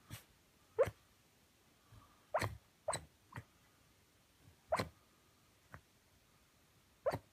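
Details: Shiba Inu asleep and sleep-talking, eyes rolled back showing the whites: short, muffled woofs and whimpering yips come in irregular bursts every one to two seconds, some doubled, against a quiet room.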